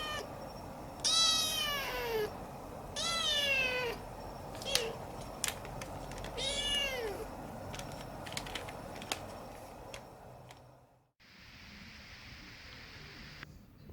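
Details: Siamese cat, once a stray kitten and now a house pet, utters three loud, descending meows about two seconds apart, followed by scattered clicks and a sudden drop to a soft hiss.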